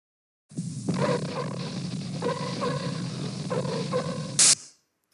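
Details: Normal call of a sea lion: harsh, rough, low barking bursts repeated roughly every second, ending with a sudden loud noisy burst.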